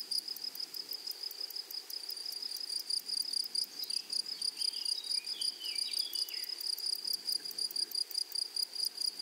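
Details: Grasshoppers in a flowery meadow, a dense chorus of shrill pulsed buzzing held in two high bands, pulses repeating rapidly throughout, with faint bird chirps weaving through the middle.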